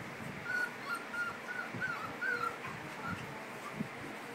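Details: Five-week-old Cardigan Welsh Corgi puppies giving a series of short high squeaky whimpers and yips, roughly a dozen thin notes in quick succession, over a soft background hiss.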